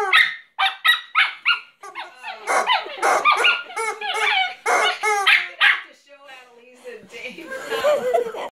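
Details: Griffon, a pet dog, freaks out at his new rubber chicken, letting out quick repeated yips, then longer wavering whines and squeals, while a person talks over the commotion.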